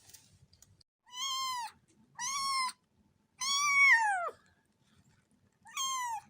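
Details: Domestic cat meowing: four clear, rich, harmonic meows spaced about a second apart, the third longer and sliding down in pitch at its end, with faint low rustling between calls.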